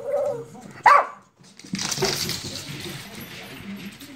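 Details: A male Shih Tzu, prompted by his owner, gives a short, yowling, speech-like vocalization that sounds like "I love you", followed by a person's voice and background noise.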